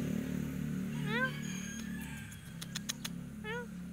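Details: A climbing cat having trouble descending gives two brief, arching mews about two seconds apart, with a low rumbling background and a cluster of sharp tapping clicks between them.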